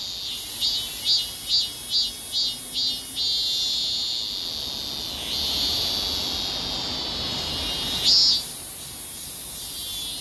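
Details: Korean cicada moving as it sings, seemingly walking backwards: quick rhythmic pulses of shrill, high-pitched buzzing give way to a sustained, wavering drone, with a brief louder swell near the end.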